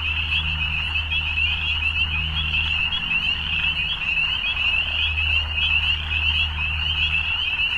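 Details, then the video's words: A thick evening frog chorus gives a continuous shrill, pulsing trill at constant loudness, with a low, humming drone underneath that briefly drops away near the middle. "Evening Frogs"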